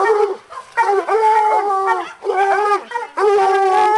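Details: A bluetick and a walker coonhound working a caged raccoon hung in a cage, letting out long sustained harmonic howls that bend slightly in pitch, broken by brief gaps, voices layered.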